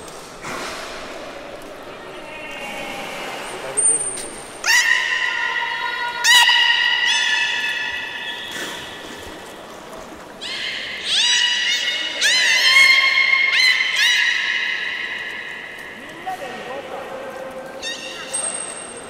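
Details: Belugas Nana and Hodoi at Port of Nagoya Public Aquarium on 11 August 2018, being moved between pools in a swap attempt that ran out of time. Bursts of harmonic squealing whistles with rising and falling sweeps, strongest around five and thirteen seconds.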